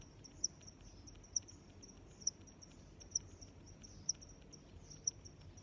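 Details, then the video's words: Six loud, shrill cricket chirps spaced just under a second apart, with fainter high chirps of other crickets in between and gentle low-frequency background noise. "Sounds of Crickets"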